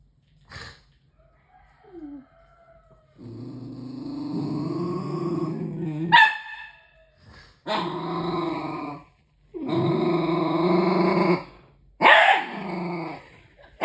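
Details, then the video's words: Two playing dogs in a room, white Alfenlibe and black Ody, in Indonesia, November 2023, with a puppy reacting to its reflection: several long harsh growls of two to three seconds, broken by sudden sharp barks and a few soft whimpers. "Puppy Growls at His Own Reflection"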